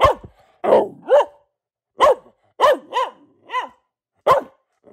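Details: Luna the pet Boxer, a female, gives seven barks with falling, slightly hoarse tone, the first ones rough and drawn out, then cleaner single barks spaced about half a second to a second apart.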